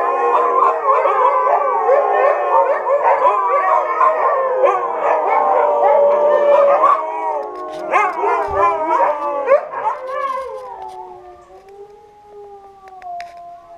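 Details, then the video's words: A kennel of Siberian Huskies singing together, a thick overlapping chorus of howls and yips that thins out after ten seconds into a few long, smooth, slowly falling howls fading away. "The song of a Siberian Husky Kennel"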